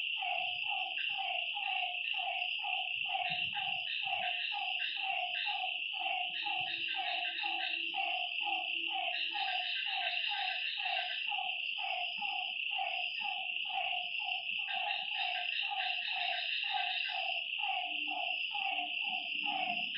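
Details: Nighttime lakeside frog chorus, with many harmonic croaks in quick overlapping series over a continuous shrill insect hum and faint low rumbling.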